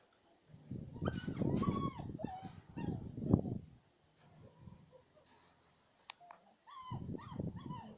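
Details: Playful Siberian Husky puppies with their mother in the yard, giving high bending whines and brief yelps amid heavy tussling and rustling noise, then quieter pauses.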